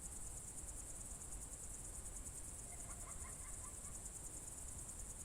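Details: Crickets on a June 2023 evening in the Novye Buregi tract, Novgorod Oblast, Russia: a steady, very high, pulsing trill runs unbroken throughout, with a faint brief bird twitter partway through.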